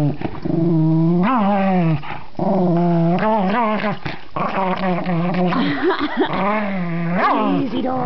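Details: Pet dog playing with a new toy, growling and grumbling in repeated tonal bursts with wavering, rising-falling pitch, about every second or two over eight seconds, mostly continuous vocalizing indoors.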